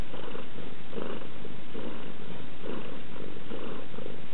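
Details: Yasmina, a house cat, purrs in a deep, unbroken vibration that swells rhythmically roughly once a second, a quiet indoor recording with nothing else audible.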